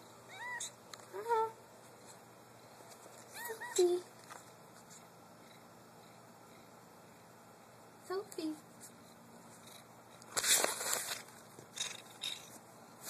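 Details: Domestic cat warbling: several short trilling, chirrupy calls with rising-falling tones in bursts near the start, another pair around eight seconds, then rustling and a noisy burst; a person speaks the cat's name.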